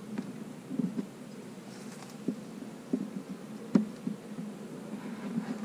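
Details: Quiet, steady humming of honey bees in a split hive being checked for queen cells; a soft even drone broken by light knocks from the hive woodwork.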